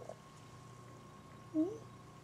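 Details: A single short, rising chirp-like meow from Buddy, a female pet cat, indoors amid quiet room hum.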